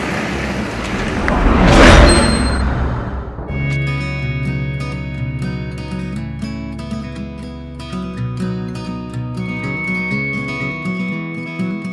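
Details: A rushing swoosh builds and fades, then plucked guitar music with a steady beat carries on, and no animal is heard.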